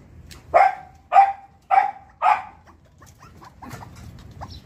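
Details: Four crisp, high-pitched barks from a Pomeranian dog downstairs, evenly spaced about half a second apart, followed by quiet background chatter.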